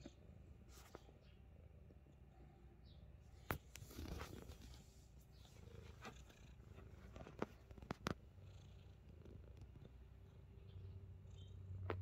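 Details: Himalayan Persian cat purring: a steady low rumble that runs through the whole stretch, broken by a few short clicks and rustles, with no other animals heard.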